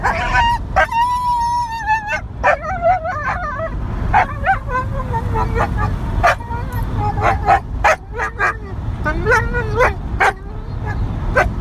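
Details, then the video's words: Melodramatic young female mid-content wolfdog being put in her place by her older brother, producing drawn-out wavering whines and squeals broken by short yips, amid clicks and scuffling of play-fighting. "Waylon The Wolf Dog Teaching Little Sis Some Manners"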